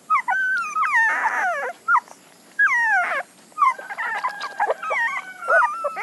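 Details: Puppies crying in high, wavering whines, some long and sliding downward, others short and broken, with a brief noisy yelp near the start and several voices overlapping toward the end.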